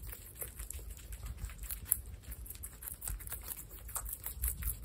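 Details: Baby guinea pigs Olive, Salt, Sonic, Sugar and Pepper eating, close-up in an indoor room: dense, irregular crisp crunching and nibbling clicks, several per second, over a soft low rumble.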